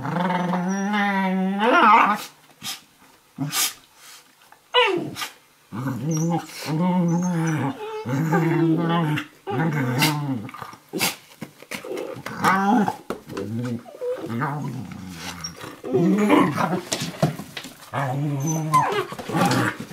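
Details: Two dogs, an 11-week-old Eurohound puppy and a 4.5-year-old Nova Scotia Duck Tolling Retriever, play wrestling on a kitchen floor indoors; fierce-sounding rumbling growls in repeated bouts, with sharp clicks and short pauses between.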